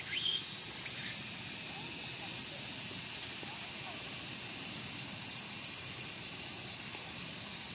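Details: Intense, level cicada buzz at Showa Kinen Park, Tokyo, 2020, during a mantis attack on a cicada; the high hiss continues without pause, with faint thin whistles at the very start.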